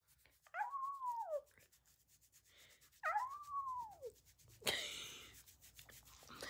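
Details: Chihuahua being scratched, said to love it: two drawn-out whining moans that rise then slide downward, each about a second long, followed by a burst of rubbing or scratching noise.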